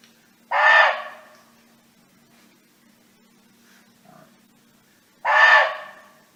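A barking deer gives two loud, harsh barks about five seconds apart, calling to other deer.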